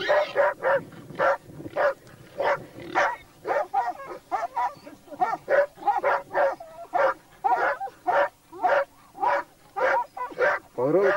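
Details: Laikas and a labrador on a wild boar hunt bark steadily and excitedly, roughly two barks per second in an uneven rhythm, several dogs overlapping, ending with a rising yelp.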